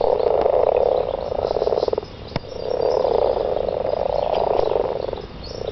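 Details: Frogs in a garden calling to mate: long, rapidly pulsed rattling trills. One trill stops abruptly near two seconds, a lone click follows, then a fresh chorus builds and carries on.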